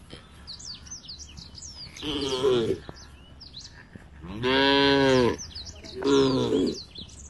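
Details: Tame cows in a herd heading to a field beside the forest give three short moos, the middle one longest and loudest, over a background of bright, repeated bird chirps.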